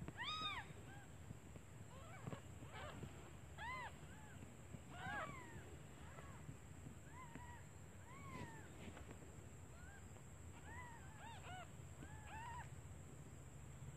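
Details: Newborn kittens calling for their absent mother out of hunger while she is away finding food; thin rising-falling mews come in scattered bursts of two or three over a steady low background hum.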